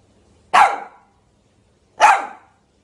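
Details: Two loud, sharp single barks from a Shih Tzu, about one and a half seconds apart, each with a brief falling tail, in an otherwise quiet room.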